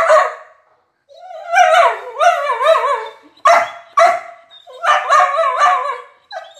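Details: Talkative Border Collie during a food review, given her favorite chicken: warbling, yodel-like howls and whines with wavering pitch, broken by sharp yips and short barks, loud and close.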